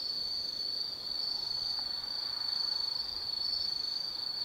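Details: Steady, piercing high trill from autumn insects on a night in the forest of Tsukimi no Mori, Gifu, Japan, nearly continuous with slight pulsing and little else heard.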